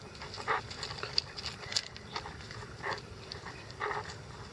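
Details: Playful month-old Icelandic Sheepdog puppies in a yard in the early morning at 6 a.m.; brief high yelps and whimpers burst out every second or so amid panting and rustling, over a low steady background hiss.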